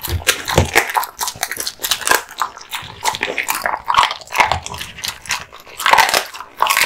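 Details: Indoors, a male American Bully (Pit Bull) gnaws raw meat and bones: dense crunching, cracking bites and moist chewing repeated several times a second, loud and close.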